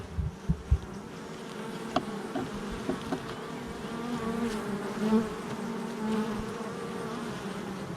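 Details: Many honey bees humming at the hive entrance, recorded July 22nd, 2024; a continuous low drone with a few short knocks and louder passes of individual bees near the start and middle.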